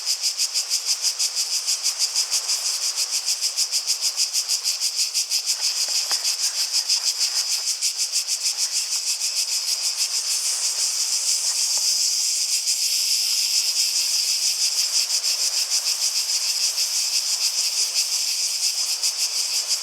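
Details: Cicadas singing in a natural setting, a continuous high buzzy drone pulsing rapidly about three times a second, steady throughout, with faint low rustles that may be water or steps.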